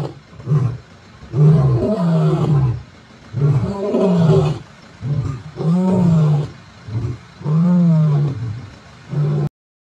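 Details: Mbiri male lions roaring at dawn-time on 16 September 2023: a sequence of rumbling, drawn-out grunts, each swelling then sliding down, spaced about two seconds apart before the sound stops abruptly.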